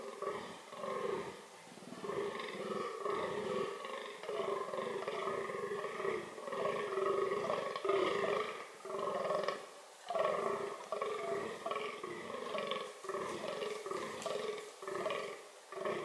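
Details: Rutting-season vocalising from a fallow deer (Dama dama) tied to its reproductive strategies: a long, steady run of rough, throaty groans repeated roughly every second, with little pause between them.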